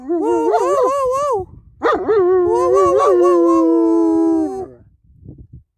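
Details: German Shepherd singing at home: wavering, yodel-like howls with quick pitch wobbles, a brief break, then a long warbling howl that gradually descends and stops, followed by a few soft low sounds.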